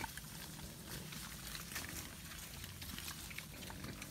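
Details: Wild boars on the move in the wild, a dense run of low, throaty grunts and snuffles mixed with rustling and crackling of ground cover.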